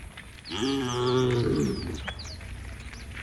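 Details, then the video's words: Tame cow in a herd heading to a field beside a forest lets out a single drawn-out low moo of about one and a half seconds that sags at the end, with soft bird chirps over quiet rural background. "the sound of the cows"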